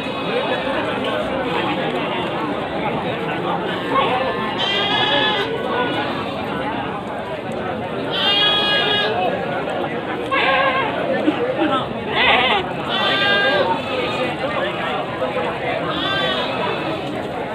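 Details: Peranakan Etawa black-headed breeding goats at the Pasar Kliwon Dongko livestock market, Trenggalek, on a rainy morning: several harsh, wavering bleats of about half a second to a second, rising above constant crowd chatter and talking.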